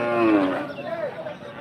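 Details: Cattle at the Rohanpur cattle market: one short moo falls in pitch over about half a second, followed by fainter overlapping animal sounds and market noise.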